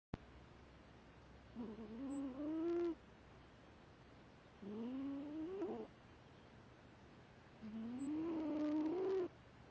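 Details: Foster cat sound asleep, snoring loud and hard with nostrils flaring; three drawn-out wheezy, whistling snores, each rising in pitch over about a second, separated by quiet pauses of roughly two seconds.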